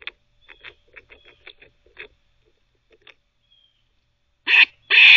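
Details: Squirrel barking while teething: faint, irregular gnawing clicks trail off into near silence, then two sudden, harsh, broadband barks close together at the end.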